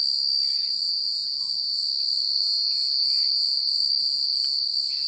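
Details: High, ringing cricket chirping fills a secluded rural night, continuous and evenly pulsed, with only faint scattered rustles beneath.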